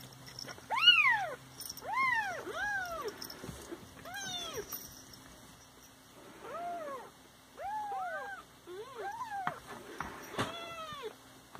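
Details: Several pet Siamese cats meowing in a lively series of about ten loud, drawn-out calls that rise and fall, some overlapping or doubled, with a brief sharp noise near the end.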